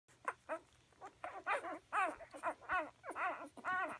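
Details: Dog Bella with her pups: rapid, high, arched whimpering squeals, about two per second, each with bright overtones, rising and falling, in a quiet room with a faint steady hum.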